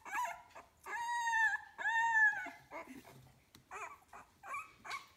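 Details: Young puppies, 15 days old, from a kennel litter produce drawn-out, tonal whines lasting nearly a second, slightly arching in pitch, followed by shorter broken whimpers.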